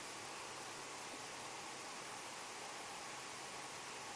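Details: Steady hissing noise like heavy rain or rushing water, with no animal sound heard.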